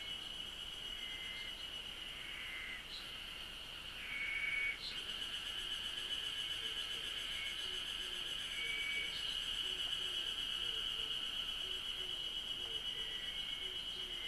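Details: Cicadas in Japanese nature: a steady, high, unbroken shrill drone continues throughout. Short whistled notes come and go beneath it, with faint soft low pulses. There is a brief louder burst near the fifth second.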